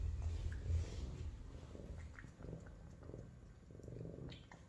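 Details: Savannah cats, an F1 and an F2 female, being introduced to each other indoors; a low, steady rumbling purr of rapid pulses runs throughout, with faint rustling and brief light clicks.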